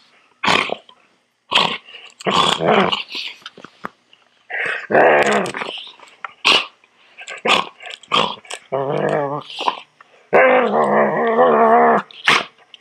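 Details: Poodle growling during grooming: a harsh, throaty growl that rises and falls, broken by short snarls, sharp yips and clattering handling noises, with longer sustained growls near the middle and end.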